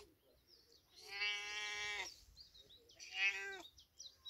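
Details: Big cat meowing in village life: two drawn-out, even-pitched harmonic meows, the first about a second long and the second shorter and rising in strength, with faint high chirps in the background.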